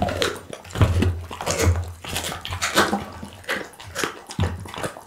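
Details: Bounce the pit bull gnawing raw food indoors, moist squelching and crackling bites running almost continuously with sharp louder crunches every second or so over a low drone.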